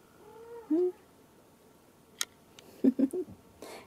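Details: Scottish Fold kitten, 29 days old, filmed at a breeder's home in Fujiidera, Osaka, Japan, on 25 February, giving a short drawn meow and then three quick squeaky mews, with clicks and rustling between.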